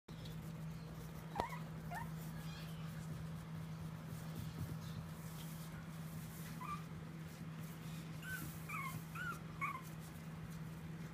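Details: Hawkeye, a Pomeranian puppy, walking and playing; soft high whimpers and yips come in scattered short bursts, some in quick pairs, over a steady low electrical hum and one sharp knock.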